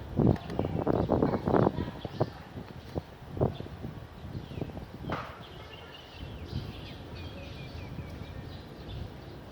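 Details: Barking house dog in a clean area of Vientiane, Laos, sunny afternoon, 15 April 2021; a rapid burst of low, harsh barks opens, then single barks space out over a faint outdoor murmur.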